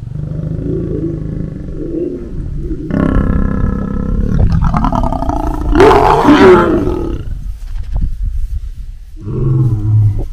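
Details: Wild Ngobeni lioness warning off a Mingerhout male lion during a heated encounter beside the H14 road, Kruger National Park; deep rumbling growls build into a loud, harsh, snarling roar mid-clip, then subside to lower growls before rising again.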